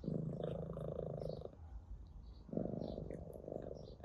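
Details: Orange tabby cat purring while being stroked indoors: a low rumbling purr for about one and a half seconds, a short pause, then the purr resumes more strongly to the end.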